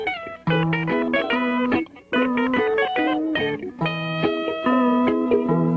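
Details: Plucked electric guitar plays a bluesy, bending melody with sustained notes and a brief pause near two seconds; no animal sound.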